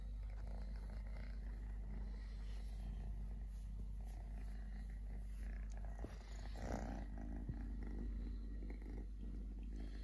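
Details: Totoshka, a three-legged stray kitten, purring steadily: a low, even rumbling drone that holds throughout, with faint rustling and a brief soft disturbance midway.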